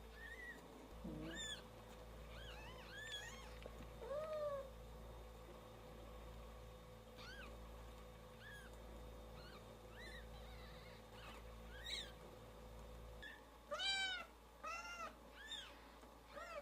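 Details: Several newborn kittens crying with their mother away, overlapping thin, high mews scattered throughout, louder and more urgent toward the end, over a steady low hum.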